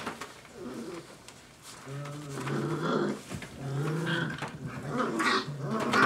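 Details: Five-week-old Dogo Argentino puppies indoors, low harmonic growls and whimpering calls rising and falling in overlapping bursts through the clip, with small knocks and shuffling in a small room.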